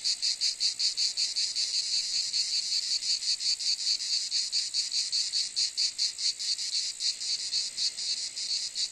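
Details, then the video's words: Shrill cicada buzz, high and hissing, pulsing quickly but somewhat unevenly, holding a constant loudness from start to end with no other animals or voices. "Cicade geluid / Zikaden sound / Zikaden zirpen / Cicada sound effect"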